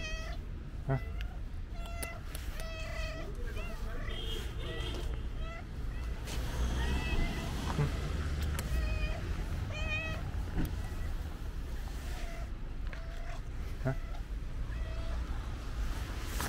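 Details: An affectionate pink-nosed cat meows again and again, short rising-falling mews with bright harmonics scattered across the stretch, over steady low traffic rumble and people talking nearby outdoors.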